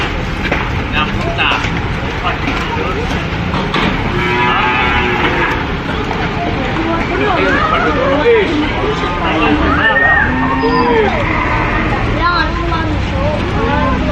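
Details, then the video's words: Farm cattle calling together: a steady wash of low lowing overlaid with shorter arched moos, some higher and rising then falling, with faint vehicle-like rumble beneath. "COWS MOOING"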